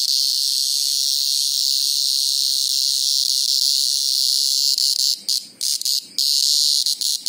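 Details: Greengrocer cicada in a sustained, piercing high-pitched scream that holds steady for about five seconds, then breaks into stuttering bursts and short dropouts near the end.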